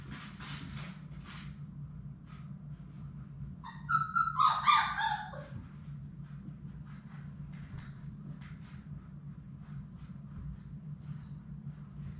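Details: One of six Labrador Retriever puppies, Sadie's litter, at play in an indoor puppy play room; a single high, wavering whine-yelp of about a second with bright harmonics over a steady low electrical hum and faint shuffling.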